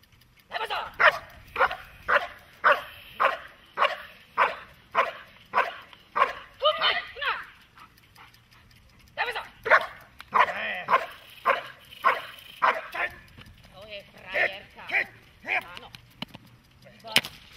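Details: Protection-training dog, German Shepherd or Malinois, delivers a long run of rapid rhythmic barks about twice a second, pausing briefly then resuming, with human voices mixed in toward the end.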